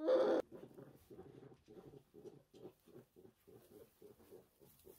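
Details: Tiny orphaned brown bear cub, one of ten rescued in 2023 after losing its mother, in a rescue centre: one loud squeal opens, followed by a steady run of soft, low, rapid pulsing grunts, about three each second.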